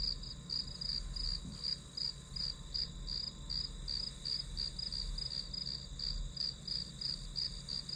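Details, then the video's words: Grass insects keep up a bright, regular pulsed chirping, each short burst high in pitch and repeated around three times a second, backed by a sustained shrill drone and soft low-frequency hum. "풀벌레 소리"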